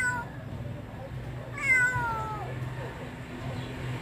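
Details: A single drawn-out meow from a wandering stray kitten, starting high and sliding downward, heard against a constant low hum of street traffic.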